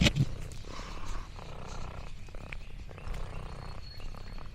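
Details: Contented purring from Lexi the orange tabby cat on a farm outing, a soft low rumble running steadily under faint rustles and a sharp click at the start.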